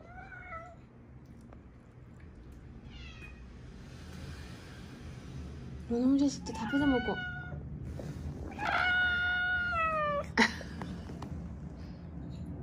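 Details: Stray cats, a mother and daughter from Haeundae, rescued after living seven years outdoors with traffic-accident fractures healed unset; a few quiet meows early, then a run of clear, drawn-out harmonic meows midway, with human speech and indoor room noise.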